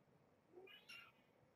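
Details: Kittens with their mother Janine, a brown tabby, at the Purrfect Pals shelter in a cage during an afternoon play visit; one short, high mew with bright upper harmonics over quiet room hiss.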